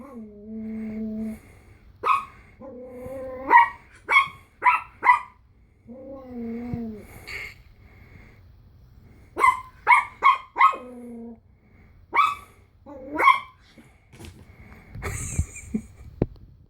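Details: Pomeranian puppy frightened by a Slinky, indoors. It gives high, wavering whines in drawn-out bursts, with clusters of sharp yips and barks between them. A brief louder noise comes near the end.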